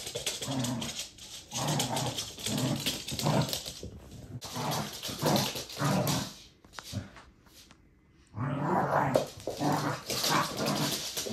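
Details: A Corgi growls and grumbles in low, rough bursts, broken by short pauses and a near-silent stretch, with some sharper noisy sounds mixed in.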